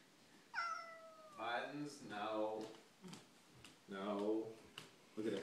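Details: Cats indoors, Buttons together with the neighbour's cat: a single descending meow, then two long wavering yowls, rich in harmonics, about two seconds apart, with short knocks and rustles between them.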